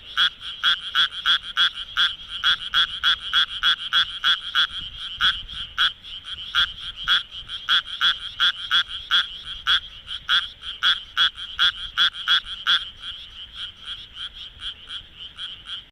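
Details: Japanese tree frog at night in Kawagoe's Minamitajima area, vocal sac swelling as it calls: a long steady series of raspy, quacking pulses, about three per second, dense and even, then briefly softer near the end.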